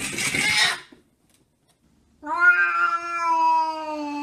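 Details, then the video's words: Domestic cat 'talking': a short noisy rasping burst, a brief silence, then a long, steady, clear meow that slowly drops in pitch. "Ultimate Talking Cats"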